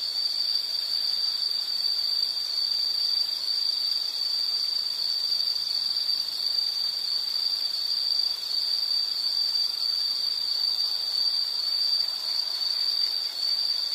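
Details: Continuous insect drone, a thin high-pitched trill held evenly at steady volume over a soft background hiss, meant as soothing nature sound.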